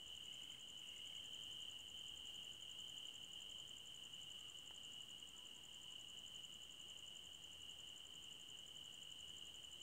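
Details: Forest crickets at night make a dense, unvarying high trill with an even higher whining band above, holding steady for the full ten seconds. A faint soft call appears near the start, over a quiet background hiss.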